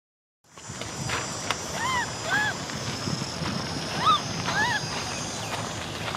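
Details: Orphan baby macaque named Cola cries for a bike ride, giving several brief arched whimpering calls in two bursts, each rising and falling, over a constant outdoor hiss.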